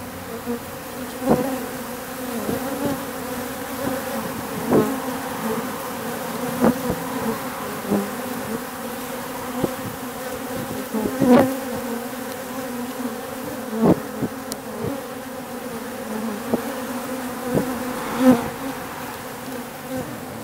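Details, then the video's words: Swarm of wild bees, workers and drones in roughly equal numbers, at an industrial district wall in October; continuous droning hum with repeated short louder buzzes every second or two as bees fly past. "Spring October swarming of the wild bees"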